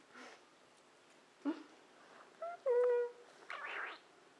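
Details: Month-old kitten in its nursery room: faint scattered rustles and small noises, then a clear, short, slightly falling meow near the middle, followed by a brief breathy squeak.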